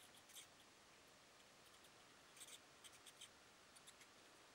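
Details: Soprano pipistrelles in a roost with females and pups, recorded using night vision aids: short, very high squeaky chirps that come singly and in small clusters, over a quiet background hiss.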